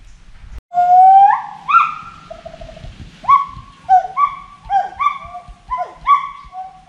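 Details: Forest monkey calling: a sequence of clear, whooping notes that slide upward, then a run of shorter rising and falling hoots repeated about twice a second, with faint low background rumble.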